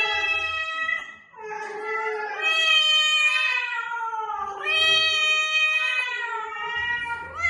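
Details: Drawn-out, wavering cat meows offered to lure a hiding or new cat, long tonal cries with many rich harmonics that slide up and down, running almost continuously with brief breaks.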